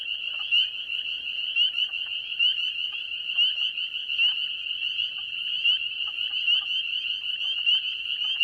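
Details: A dense spring peeper chorus of high, piercing peeps; a few nearby individuals close to the microphone stand out, while the more distant voices blend like jingling sleigh bells.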